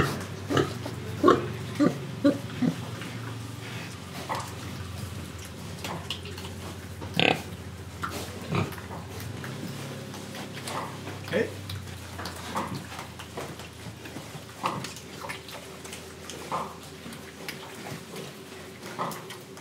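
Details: Indonesian pig breathing and eating. Soft scattered grunts and snorts, a cluster near the start and a sharp one around seven seconds, sit over a constant low rumbling background, with fainter snuffles later.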